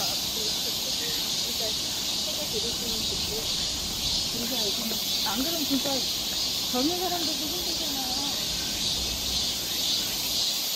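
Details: Cicadas singing along a forest trail in Seoul, Korea, in summer: a dense, steady high buzzing drone that runs unbroken throughout, with faint bird chirps and low murmuring below.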